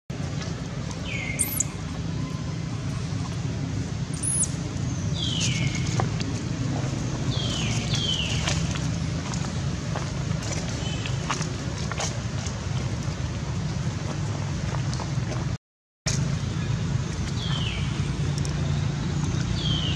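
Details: Baby monkey Baron, taken by another monkey named Bridget, cries for its mother: thin, high calls that slide downward, coming every few seconds alongside sharp very high squeaks, over a steady low rumble of traffic.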